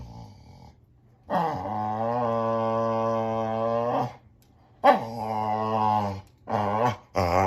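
A Boxer dog gives long, low, droning moans, then a wavering groan and two short yowls.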